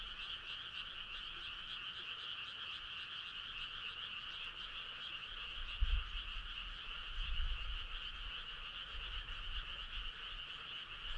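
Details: Frogs in chorus on a summer night, starry country road setting: a clear, sustained, shimmering trill in two pitch bands over quiet background, with a few soft low thuds midway.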